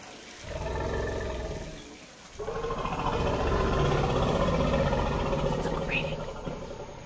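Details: Two female African forest elephants of an extended family greet intensely in a forest clearing at Dzanga, Central African Republic, below an observation platform: a low harmonic-rich rumble, a brief pause, then a longer, louder, overlapping rumble lasting about four seconds.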